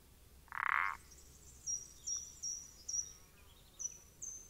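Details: A single short, rasping croak from a common parsley frog, recorded 14 April 2020, followed by a run of faint, high, thin chirps repeated about twice a second.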